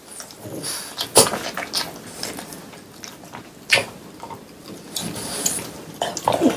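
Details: Three French Bulldogs eating watermelon indoors on a hot day before summer ends, recorded as ASMR; wet crunchy bites land in sharp bursts roughly every two to three seconds over a quiet room background.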